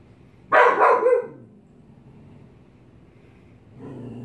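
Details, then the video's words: Frightened pet dog barking at a mask: a single rough, broadband bark about a second long, followed by quiet and a lower, softer sound at the end. "Dog Barking at Mask"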